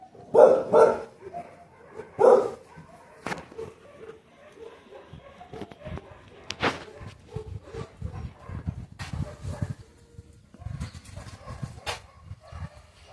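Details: Dog with two loud barks early on, followed by softer scattered yelps, whimpers and clattering movement noise.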